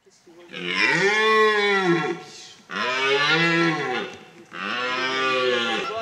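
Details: Red deer stags, 21 living semi-free on 56 hectares in a wildlife park in Lorraine, France, during the rut in September, give long, deep, throaty bellows, each over a second long, repeated about every two seconds.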